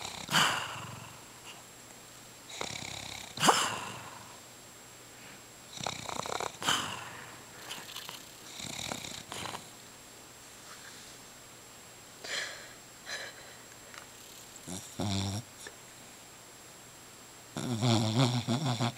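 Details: Domestic dog snoring loudly during a nap indoors: irregular rough, breathy snores in bursts every couple of seconds, a louder rumbling run at the end, quiet room between breaths.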